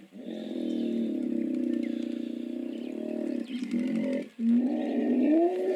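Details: Long, buzzing hippo bellow of fast low pulses holds for over three seconds, breaks into shorter bursts, then returns as a louder rising honk, with faint bird twitters in the background.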